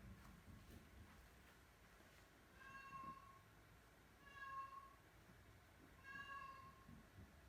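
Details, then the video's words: Oriental Shorthair cats on moving day, first day in a new house, very vocal; three harmonic, nasal honking meows about every 1.7 seconds, fairly faint in a quiet indoor room. "Honk Alert New House! Moving day with the cat squad"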